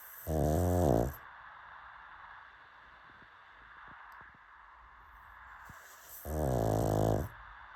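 A pug snores in two loud, rattling, low-pitched bursts several seconds apart.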